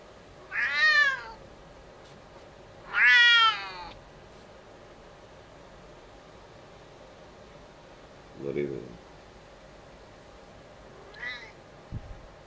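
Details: Female cat Baqa, acting as a male, mounts her mother Tussy indoors on 19.08.2019; two loud wavering meows early on, then a low murmur and a faint later meow over a steady background hum.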